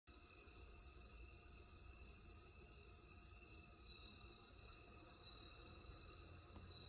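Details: Crickets on a countryside night: a steady, unbroken high-pitched trill with a faint pulsing shimmer, with no other clear sounds.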